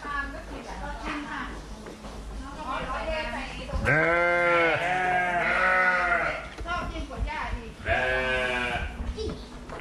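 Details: Fluffy sheep calling in a long, drawn-out quavering bleat that carries over several seconds, followed by a shorter bleat, with softer bleating and low steady background noise beneath.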